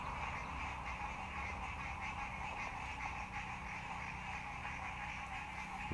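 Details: A dense chorus of frogs trills steadily at a green, algae-covered fishing lake in Dallas, Texas, many voices overlapping in a continuous pulsing wall of sound.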